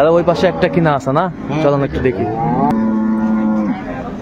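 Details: Dairy cattle of improved breed, cows and calves, at Ambari livestock market in Dinajpur on 10 February 2025: men talking over one another, then a long, steady, even-pitched moo held for about a second near the end.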